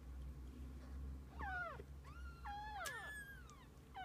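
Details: Kittens spending the day with their mother cat: a run of high, arching meows, some sliding steeply down, others wavering, with overlapping cries near the end over a low steady hum.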